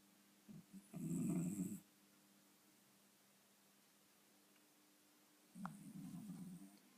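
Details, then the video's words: Sleeping cat snores, a long throaty rattle followed several seconds later by a softer, grumbling one, quiet room in between. "Кот храпит."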